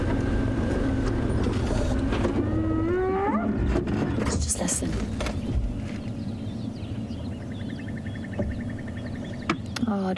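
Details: Spotted hyena contact calling close to a safari vehicle near its den on a sunrise drive, giving rising whooping calls that sweep upward in pitch in a series, mixed with a man speaking and vehicle noise.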